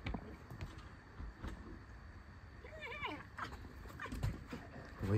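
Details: Tame fox indoors scolding after running in and spotting an open kitchen door, then checking her bowl; short wavering, squeaky chattering cries midway through, over rustling and low room noise.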